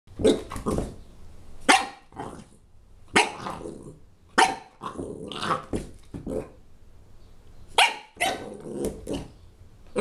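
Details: Puppy attacking a dinosaur toy, letting out sharp, high yappy barks and rough growls in uneven bursts, some in quick doubles, with short quiet gaps between.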